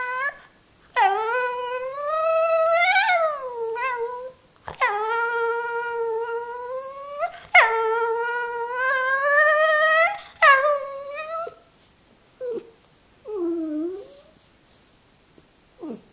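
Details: Female Jack Russell Terrier 'singing' to be let up onto her owner's lap: four long, rich, howl-like whines of two to three seconds each that swell and bend up and down, then fading into short, broken yips and whimpers.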